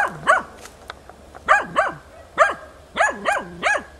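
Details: Hunting dog in training on wild boar, chasing well and persistently baying at young wild boars, 6 March 2013: loud arched barks that rise and fall sharply, delivered singly and in quick pairs, about eight in four seconds.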